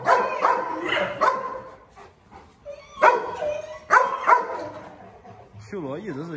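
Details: Presa Canario dogs, a group that includes rivals named Xiuluo, Xuanfeng and Shandian: loud, harmonic barks in quick bursts of two or three, with pauses between, then a wavering tonal sound at the end, and a man's narration running throughout.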